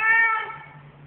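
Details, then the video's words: Goldie, a very vocal male cat, gives one short, harmonic meow that starts strong and fades within half a second, followed by a low steady hum. "Goldie - a very vocal cat"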